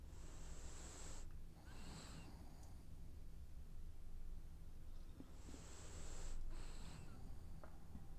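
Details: A dreaming French bulldog snores in two breath cycles about five seconds apart, each a raspy, whistling inhale followed by a shorter wheeze, with a low constant hum underneath.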